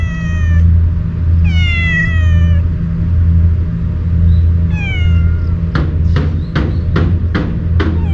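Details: Stray cat that usually flees from people, meowing warily while eating Kalkan cat food it was given; four drawn-out harmonic meows, then a run of sharp clicking knocks, over a steady low hum.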